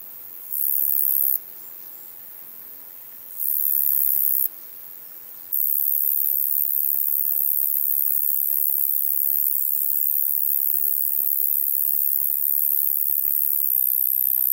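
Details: Roesel's bush-cricket at Maising, Germany, in July 2020: short bursts of an intense high buzz alternate with quieter pauses, then the insect settles into a long unbroken shrill drone.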